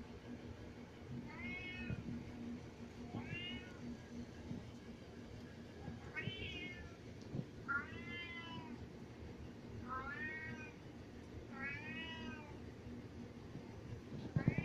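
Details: Domestic cat crying a lot because he wants to go upstairs: six insistent meows roughly every two seconds, each an arching, slightly wavering cry, with a low room hum and a few clicks near the end.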